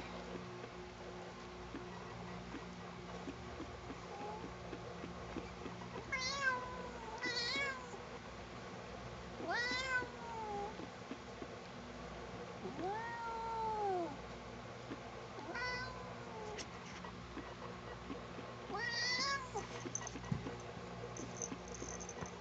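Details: Sugar, a pet cat being combed and disliking it, gives a series of drawn-out, wavering meows, about six across the stretch, each rising then falling, separated by pauses of a few seconds, over steady low indoor hum.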